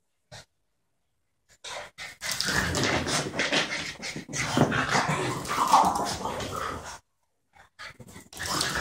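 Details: A French bulldog of about four and a 12-month-old border terrier having fun together indoors; heavy snorting breaths and low grumbling growls build into a sustained noisy stretch, then stop, with a few short bursts resuming.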